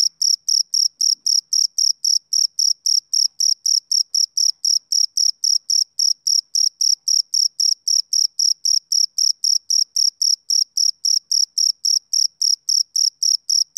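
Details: Rhythmic summer-evening chirps from a male cricket, sharp high pulses repeating nearly four times a second in an unbroken, even series with nothing else audible.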